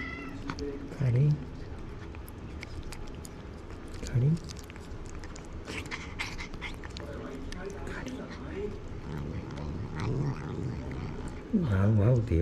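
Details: Stray cats in a tense standoff, staying motionless, apparently in Japan; deep drawn-out growling yowls rise at about one, four and eleven seconds, with a person calling and talking throughout.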